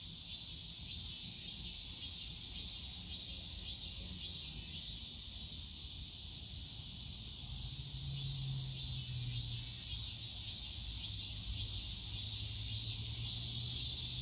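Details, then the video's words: Summer cicadas in Yongsan Family Park's bamboo forest, a bright shrill chorus with regular throbbing pulses near once a second, layered over steady buzzing; a low passing engine-like drone swells midway. "용산가족공원 대나무숲 매미소리"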